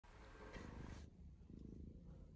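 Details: Mother cat purring to her newborn kittens: a low, steady rumbling purr made of fine rapid pulses that runs continuously for about two seconds, with a short burst of faint hiss near the start.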